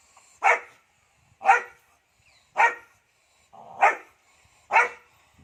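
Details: Dog barking, breed not given, from a set of guard dog breed sounds: five sharp barks spaced about a second apart, each a short broad burst, with quiet between.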